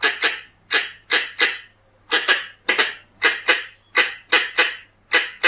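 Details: Red-bellied squirrel calls meant for luring: loud, harsh chuck notes, often in close pairs, spaced roughly every half second with short gaps and a quiet background.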